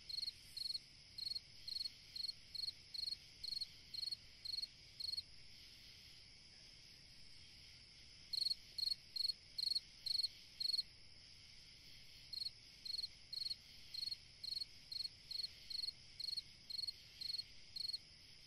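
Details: Cricket singing on a summer night: short chirps of four or five rapid pulses, roughly two per second, in bursts separated by brief pauses, over a steady high background hum of other insects.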